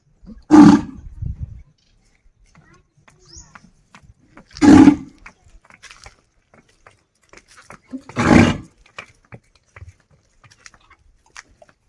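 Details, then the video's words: Village desi bull calling a friend to come home: three loud, hoarse, roaring bellows, each under a second long, spaced about four seconds apart, with faint rustling between them. "The Sound Of A Bull Calling A Friend To Come Home"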